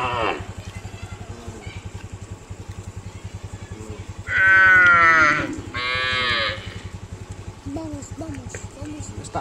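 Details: Cows being herded towards the fields give two drawn-out, harmonic moos over a steady, throbbing engine-like rumble.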